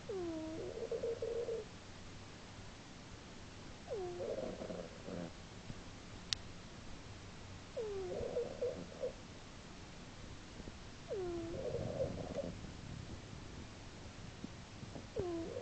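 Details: Snoring of Earle, a female pet cat asleep indoors, March 2010: wheezy whistled breaths with a hooked rising tone, each followed by a rough buzzing exhale, repeating roughly every four seconds with quiet gaps between.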